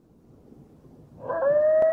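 A coyote starts a smooth howl that swells in and slowly rises in pitch.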